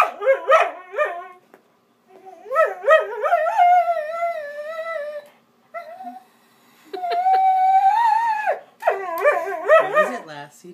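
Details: Vizsla dog 'singing' at home: quick yipping bursts lead into sustained, warbling howls, one held steady tone near the end, then more choppy yips, with short silent pauses between phrases.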